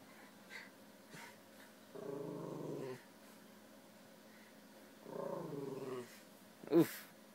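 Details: Jack Russell Terrier growling indoors at night at a balloon that had sat in the same spot in the room for three days; two rumbling, pulsed growls of about one second each, the second rising slightly, then a sharp knock near the end.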